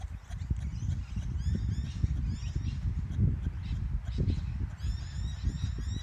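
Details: Kangaroo calling, probably in courtship, while kangaroos are being watched: a dense run of low, rough clucking pulses at an uneven rhythm, with faint high-pitched bird chirps running above.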